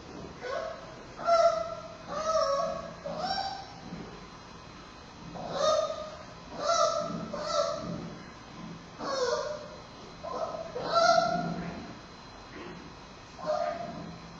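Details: Bei Bei, a giant panda cub at Smithsonian's National Zoo, squawks fussily while struggling to latch on to nurse from Mei Xiang. She breathes heavily. Repeated nasal, honking cries come every second or two, in clusters, with short pauses between them.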